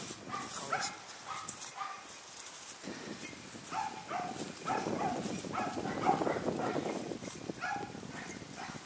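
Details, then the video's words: Hunting dogs bark in quick, repeated bursts not far off, baying at a large wild boar they have chased through the brush, keeping their distance while it flees and stands. "イノシシを追跡した犬たちがそう遠くない場所で鳴いています。"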